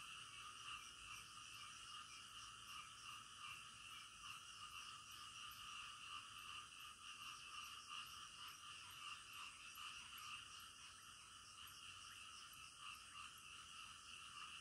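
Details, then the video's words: Night-time frog chorus, many frogs croaking at once in a steady layered drone, with rapid repeated ticking notes high above running through most of the recording. "SUARA KODOK DITENGAH MALAM"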